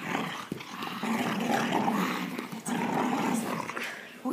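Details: Pet Boxer crossed with American Bulldog, a female, tugging at her toy while wrestling with people and pretending to be fierce: a sustained rumbling growl with raspy rises and dips, voices overlapping throughout.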